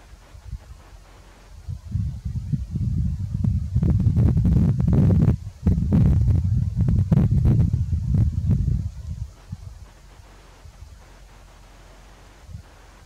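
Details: A red deer stag in Grădiștea Muncelului-Cioclovina Natural Park, Romania, during the September–October rut, gives a deep, guttural roar that swells into throaty pulses, then fades, announcing his presence and intimidating rivals.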